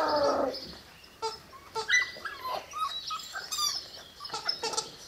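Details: Six-week-old Presa Canario puppies at a kennel: short high whines and yelps, some rising and falling, overlap in an irregular chatter, with one longer whimper at the start and brief squeaks scattered throughout.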